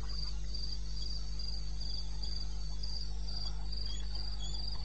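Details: Night chorus of crickets in eastern Botswana wilderness, 02:30 on 21 May 16: rhythmic high-pitched pulses in evenly spaced bursts, several callers overlapping, over a steady low droning hum.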